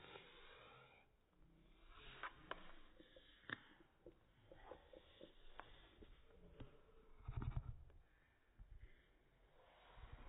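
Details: A French Bulldog taking out its frustration on a Funassyi toy snorts, sniffs and snuffles in low, rumbling bursts, with scattered clicks and knocks.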